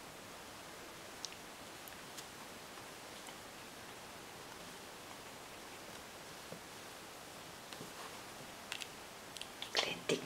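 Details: Quiet indoor hiss with faint scattered clicks and rustles, growing into louder rattling and scraping in the last second.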